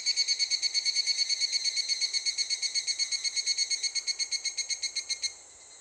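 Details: Higurashi cicada heard calling near a school on the way home, already starting up in summer; a bright ringing trill of pulses about three per second, slowly fading, then stopping abruptly, leaving quiet hiss.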